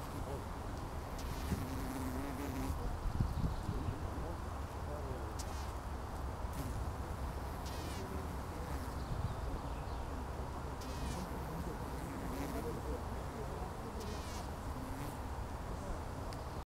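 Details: Mating Colletes bees, the male buzzing his wings and waggling his antennae; a low, steady droning hum runs throughout, with faint brief ticks and scratches above it.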